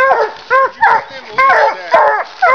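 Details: Walker hound and leopard hound treeing a raccoon during a hunt, giving five loud, tonal, arching barks spaced about half a second apart; a man's voice is heard briefly nearby.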